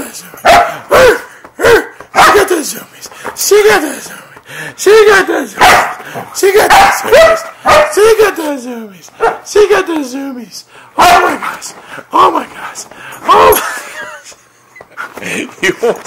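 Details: Siberian Husky on a bed in a bout of zoomies, making harmonic, downward-sliding yowls and barks in quick series while a person talks and encourages it.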